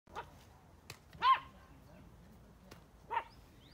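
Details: Curious dog running around in front of a cow in the United States gives two short, sharp barks about two seconds apart, each a brief harmonic burst, with a faint click and quiet background between them.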